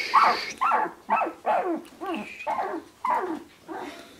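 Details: Sixteen-day-old Shiba Inu puppies from the Ichi and Hime litter, March 2017, let out short descending whimpering yelps, one about every half second, each sliding downward in pitch, with brief quiet gaps between.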